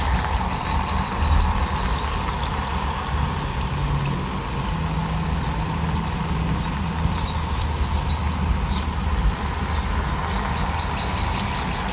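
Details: A steady low mechanical rumble, like an idling engine or passing train, fills the recording. No animal voices can be picked out.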